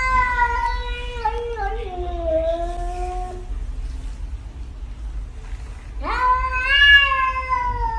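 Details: Domestic cat in a compilation of funny cat moments; a long harmonic meow falling in pitch over three seconds, a pause, then a second loud rising-then-falling meow, over low background rumble.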